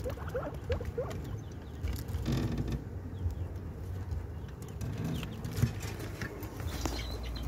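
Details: Guinea pig giving birth. A few distinct rising squeaks open the sequence, then scattered soft chirps and rustling continue over a low rumbling background, with one sharp knock late on.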